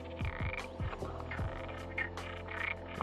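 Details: Frogs croak in low, rapid pulses at a small pond in Sagres, Portugal, on 7 April 2020, with thin bird calls above them; bee-eaters are heard arriving.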